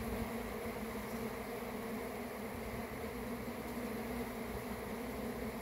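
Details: Short burst of swarming honey bees, a bright, busy buzzing of many wings that holds level throughout with little low rumble beneath.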